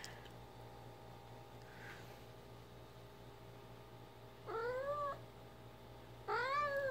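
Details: Ginger, a female pet cat, mumbling while playing fetch with her favourite toy indoors; two short harmonic meows, each rising then dipping slightly, about two seconds apart, over a steady low room hum.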